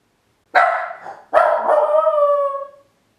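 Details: Min pin Ylva left home alone for the very first time, waiting in the hall: one short bark then a sustained, whining bark-howl that slowly falls in pitch, with silence around it.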